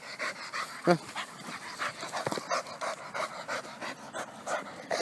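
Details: Penny, a rescue pit bull terrier, pants in quick, rhythmic breathy bursts while playing soccer and dribbling a ball, with one short voiced sound near the start and faint scuffing in the background.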